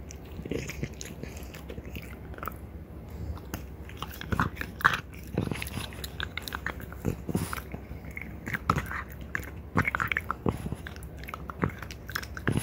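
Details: Deer antler being gnawed by two female French Bulldogs, mother and daughter, indoors; steady gritty grinding broken by frequent sharp cracking bites, rhythm quickening toward the end.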